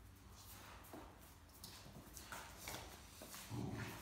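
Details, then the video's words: Great Dane puppy playing with an older Great Dane over a shared stuffed toy, complaining as they tussle; a short, low, throaty grumble rises near the end, over scuffling, rustling play noises and faint indoor background. "Talkative Puppy and Great Dane Want the Same Stuffed Toy"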